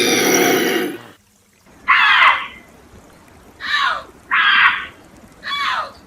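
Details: Bobcat screaming: four short, harsh, raspy bursts, each under half a second and spaced about a second apart, following an opening second of loud broadband noise; no other animals heard.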